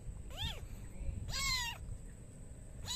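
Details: Bored kitten meowing very sadly: two clear, arched, rising-then-falling meows about a second apart, a third starting at the end, over a steady high whine and low background rumble.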